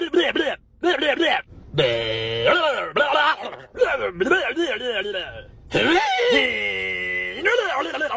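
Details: Goats in a funny compilation; loud, wavering, human-like bleats and screams in repeated bursts with breaks of silence between them.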